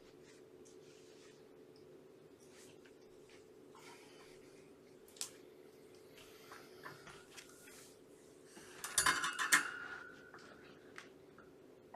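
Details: Quiet indoor room with a low hum, light tapping and rustling, and a brief burst of clattering near the nine-second mark.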